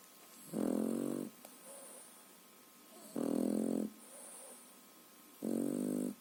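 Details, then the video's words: Sleeping three-and-a-half-month-old French Bulldog puppy snoring indoors: three loud, buzzy, throaty snores, each under a second long and spaced roughly every two and a half seconds, with quiet breathing between them. "Французский бульдог Тирион сладко спит и храпит/french bulldog Tyrion snores"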